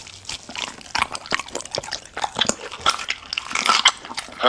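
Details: Close, immersive recording of VC, a Golden Retriever, trying ostrich heart among a raw-meat meal indoors; sharp crunches and wet smacking chews, with a brief thin squeak toward the end.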